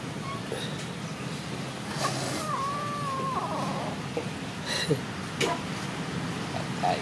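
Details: Tiny newly born abandoned kitten, very hungry, gives one drawn-out wavering meow lasting under a second near the middle, over a steady low rumble of engine-like background noise with a few faint clicks.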